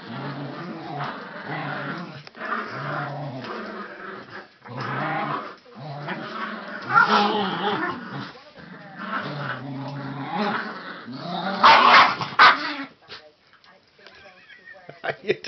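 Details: Dog at play with a rope gives a run of low growls that fade into scuffling and rustling noises, with a loud clattering burst near the end.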